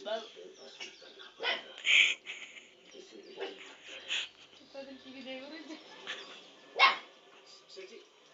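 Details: A 2-month-old Lhasa Apso puppy gives thin, high-pitched yapping barks in short, scattered bursts while looking at the TV.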